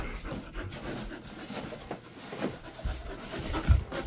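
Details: Golden Retriever resting in an air-conditioned cool room, soft rhythmic panting breaths as broadband noisy pulses, with faint room sounds.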